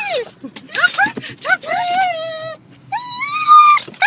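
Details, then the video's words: A dog, excited as its owner pulls up to the dog park, makes quick choppy yelps followed by a sustained quavering whine that climbs at the end, and a low background rumble. "Weird noises from a dog"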